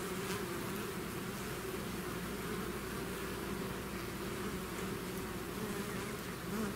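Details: Bees swarming out of their hive produce a steady, even drone, a thick low buzz with a brighter overtone, holding constant loudness throughout.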